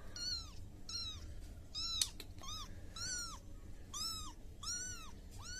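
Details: Kitten, a baby cat, giving a run of high, arching meows, about seven in under six seconds, each rising then falling, fairly regular with short gaps; faint room hum beneath.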